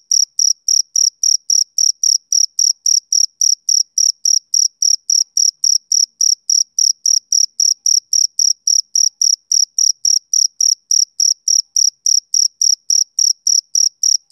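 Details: Summer-evening chirping from a male cricket: a long even train of shrill, clipped chirps at about three and a half per second, steady in loudness and pitch, nothing else audible.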